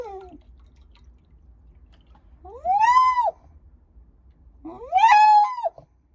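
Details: Shiba Inu dog giving two separate howls, linked to a walk: each rises sharply, holds a clear harmonic tone for under a second, then drops away; the calls come about two seconds apart, with a short whine before them.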